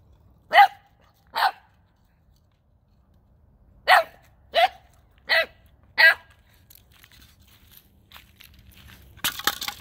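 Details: Gizmo, a nine-week-old Boxer puppy, barking at a ball he has never seen before, on December 9th 2021: six sharp barks in two pairs and a run of four, quiet gaps between, a clatter at the end.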